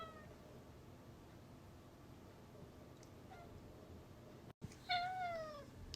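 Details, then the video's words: A cat kept inside, wanting to go out, gives one short descending meow near the end after a long quiet stretch of faint room noise. "Cute cat named Alfy requesting nature"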